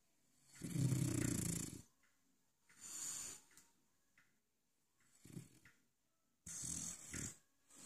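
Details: A male French Bulldog in his dog bed snores in loud, rattling bursts, each long rasping breath followed by a quieter pause.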